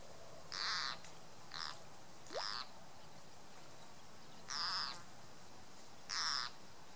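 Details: A water frog (green frog) gives harsh, wailing distress screams in short, irregular bursts while being caught and eaten by a grass snake.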